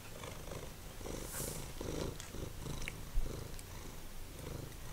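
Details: Simba, a formerly feral cat, purrs while eating dried minnows. The purr is a steady, deep, throbbing rumble pulsing evenly throughout, with faint soft crunching of the dried fish above it.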